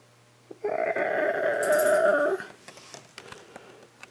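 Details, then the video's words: Pet cat named Jon Stewart, indoors in a small room, answering its owner with one long, drawn-out moaning yowl of nearly two seconds, held at a fairly steady pitch, followed by faint clicks and rustling. "Talking To My Cat Jon Stewart"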